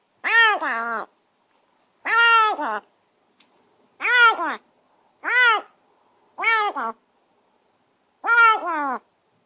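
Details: Freshly rescued stray kitten, semi-wild, caged indoors after a bath and dinner, crying persistently: six two-part meows, each bending up then down with a short break, spaced about every one and a half seconds.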